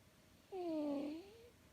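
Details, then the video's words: Sleeping tortoiseshell cat dreaming in REM sleep, eyes and limbs moving, gives one thin whistling snore lasting under a second, falling then rising, in a quiet indoor setting. "My Tortie cat Lucy, snoring as loud as a drunken sailor!"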